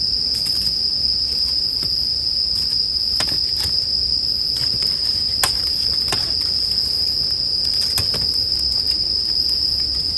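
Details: Steady high-pitched ringing of bell crickets beside a crackling campfire, the insect tone unbroken while frequent irregular snaps and pops of burning wood sound every second or so.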